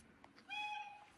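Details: Brownie, a Bengal cat, meowing on a sunny day because it wants to go out and play. A single short, steady, tonal meow of under half a second with clear harmonics, fairly quiet over faint background hiss.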